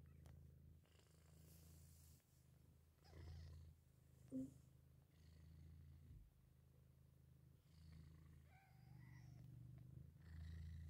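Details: A Persian cat purrs in a steady, deep, rumbling rhythm beside her newborn kittens, less than an hour old, which give faint high mews.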